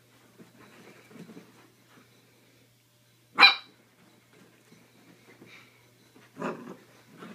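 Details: Playful mini dachshund puppy in an excited romp lets out a single loud, sharp bark, then a second shorter bark three seconds later amid soft rustling and snuffling.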